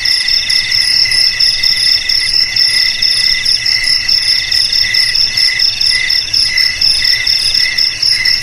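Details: Crickets chirring in a dense, unbroken high-pitched trill, several shrill tones stacked on top of one another and pulsing rapidly, with no other clear sounds.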